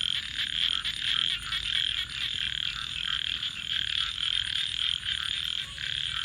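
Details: Frogs calling at night beside a crackling campfire: a dense, continuous high trilling chorus that swells and dips in loudness throughout, with no clear gaps.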